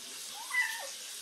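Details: Talkative cat named Bini, conversing with its owner indoors: a single soft meow rising then falling, lasting about half a second, over a quiet room hiss.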